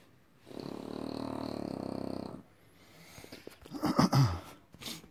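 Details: French Bulldog making a two-second raspy, snore-like grunt, then rustling and clattering handling noises.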